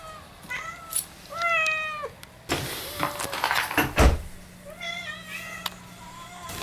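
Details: Domestic cat named Moo greeting her owners at the front door as they come home: several clear harmonic meows, some rising then falling, with a burst of door and handling noise in the middle and a faint steady hum.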